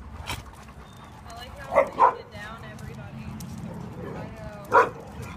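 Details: Irish Setter named Murphy, available for adoption, gives three short, sharp barks: two close together, then a single one about three seconds later, over a low background murmur with voices.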